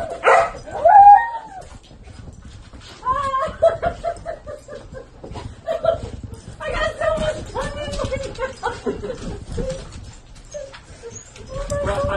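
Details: Pet dog giving high, whining yips and short whimpers in uneven bursts, some sliding up and down in pitch, while people talk nearby throughout.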